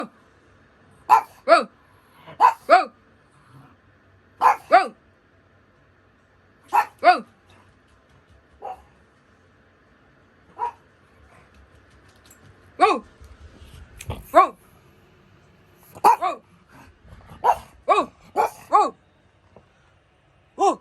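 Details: Pug barking in short sharp bursts, single and paired barks spaced irregularly over twenty seconds, quickening near the end, with a faint background hum.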